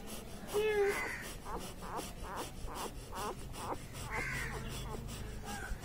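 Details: Litter of one- and two-day-old Labrador Retriever puppies squealing: a sharp steady cry, then a run of rapid pulsed whimpers and a final rising squeak, with low household noise underneath.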